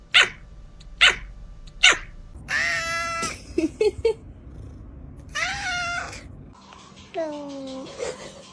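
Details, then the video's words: Cats making unusual sounds, including a kitten said to bark like a dog: three short, sharp, bark-like bursts, then long harmonic meows, a few clicks, and two more drawn-out, falling meows. "Cats Making WEIRD Sounds"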